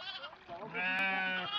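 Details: Sheep kept in a farm pen, with a long, wavering harmonic bleat rising in the second half over a background of music and voices.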